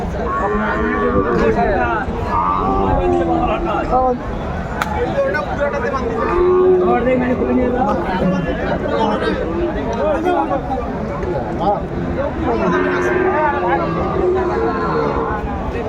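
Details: Sahiwal breed bull calves at a livestock market, December 28, 2024, a Gazipur farmer buying: intermittent bellowing moos scattered through a long stretch of bargaining voices and dense crowd noise.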